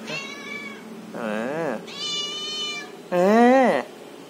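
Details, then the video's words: Cat talking in four drawn-out meows, alternating thin high cries with louder, deeper arched ones that rise then fall, the last the loudest, in a quiet room. "Cat talking"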